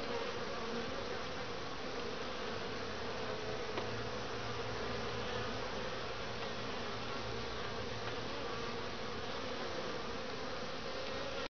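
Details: Honey bees flying in and out of a top-bar hive in Lynchburg, Virginia, loaded with grey and orange pollen in the middle of winter, 60°F outside; constant swarming buzz with a low mechanical hum in the middle seconds.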